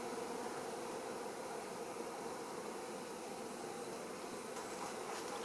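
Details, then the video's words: Wild honey bees of a large colony living inside a fir trunk about four metres above the ground give off a steady, unbroken low droning hum, with no other clear sounds. "Dzikie pszczoły"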